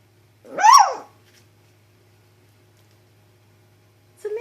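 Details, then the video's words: A female Chihuahua confronting a chicharra, or cicada, which she usually fears. A single loud, sharp bark with a rising-then-falling ringing tone, followed by silence and then a brief start of another sound at the end. "Chihuahua vs Chicharra (cicadas)"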